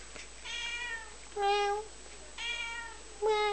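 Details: A cat answers as someone talks to it indoors, giving four meows in quick succession, alternating softer and louder. Each is a clear, steady, tonal mew lasting about half a second.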